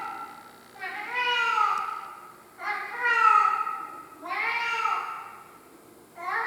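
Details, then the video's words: Crying cat Tarzan, a house pet, repeats long mournful meows that swoop up then down, four of them roughly every one and a half to two seconds, the last cut off at the end. "My Crying Cat Tarzan"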